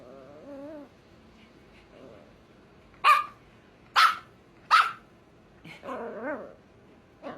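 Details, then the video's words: Five-month-old female Scottish Terrier-Chihuahua mix puppy barking and growling to get her two-year-old sister to play: a short whiny growl, then three sharp loud barks about a second apart, then a wavering growly whine and a final yap. "Extremely Vocal Puppy Barking and Growling, Trying To Get Little Dog To Play"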